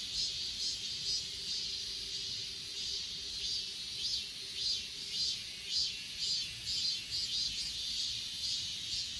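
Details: Crickets and other grass insects chorusing on Achasan, recorded with an S20 Ultra; continuous high trilling with soft rhythmic swells about twice a second over a constant sharp hiss, and a faint low hum in the first half.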